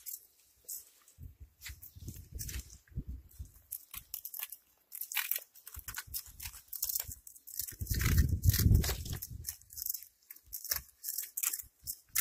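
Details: A cat chewing its food, fast rapid crunches several per second, soft and crackly early on, swelling into a loud, thick bout of mastication around the eighth second, then lighter bites.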